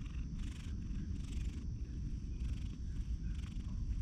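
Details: Grey hachiware cat on a bench beside a pond, recorded with a GoPro HERO8: a steady, deep, rumbling purr runs throughout, with soft broadband swells about once a second, close and low.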